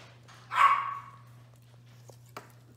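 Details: Toy Australian Shepherd puppy, one of six five-week-old pups playing indoors, gives a single sharp, loud bark, followed by a few faint clicks and a steady low hum.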